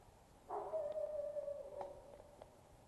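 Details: Ellee, a female Black Lab squirrel hunting dog, out on a squirrel hunt with .22 rifles in the Northwoods, gives one sustained whining howl of about two seconds, steady and slowly falling, with a few faint clicks over quiet outdoor background.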